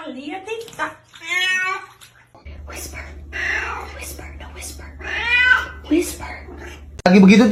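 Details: Cat meowing in a funny cats compilation: a few drawn-out, wavering meows in the first two seconds, then people talking and whispering over a steady low hum, with a loud burst at the end.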